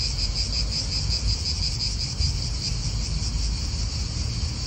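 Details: Steady shrill cicada chorus in an Italian park, a continuous high buzz with a faint throbbing pulse, partly masked by heavy low wind rumble and the murmur of nearby traffic.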